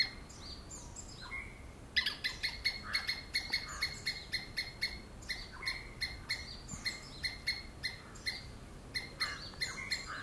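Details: After two seconds of quiet hiss, a squirrel starts screaming: a steady run of sharp, metallic chips about three per second that continues to the end, with a couple of softer rasping notes.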